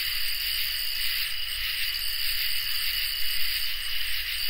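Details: Crickets and katydids in a summer night chorus: steady, unbroken high trilling in several stacked bands holds through the whole stretch without pause, with a faint low rumble beneath.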